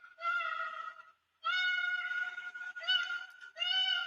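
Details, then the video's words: Koala wailing, screaming distress call, made when bickering with another koala or when disturbed or alarmed by another species; played back. Four drawn-out, strongly harmonic nasal wails, each about a second long, separated by short breaks, sounding somewhat monkey-like. "Okay, so that is the wailing, screaming call, also known as a distress call."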